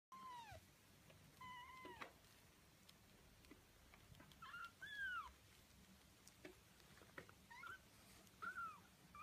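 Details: Birman kittens, part of a litter of five on their 19th day, give thin high meows, each arching down or rising and falling, scattered irregularly with quiet gaps and soft faint rustling between calls.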